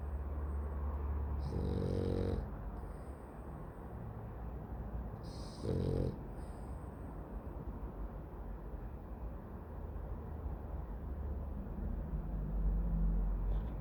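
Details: Loud snoring from a dog asleep: two distinct rasping, buzzy snores about four seconds apart, each short and harsh, over a continuous low rumble of slow breathing.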